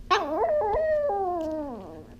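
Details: A female Chihuahua howling during a training session, a long wavering howl that rises and falls, then slides steadily downward over about two seconds, with rich harmonics.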